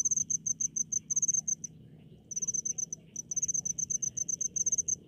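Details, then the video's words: Cricket in a rice field, giving shrill, high chirps in quick even pulses, grouped into runs separated by short silences of about half a second to one second, with faint low background hum. "SUARA JANGKRIK DI PESAWAHAN"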